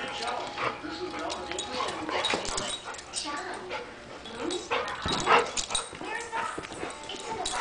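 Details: An Italian Greyhound and a golden retriever playing together indoors. Short yips, whimpers and bark-like bursts come in scattered bouts, with people talking throughout.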